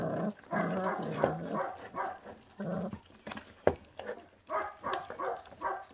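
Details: A feral puppy eats and growls. Dense, harsh rumbling bursts last about a second each and are separated by short gaps, with a few sharp clicks and knocks from feeding.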